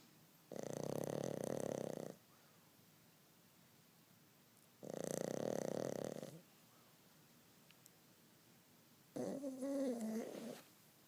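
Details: Dog snoring indoors on a rainy day: three long, breathy, rasping snores about four seconds apart, with quiet pauses between, the last one carrying a wavering, whine-like tone.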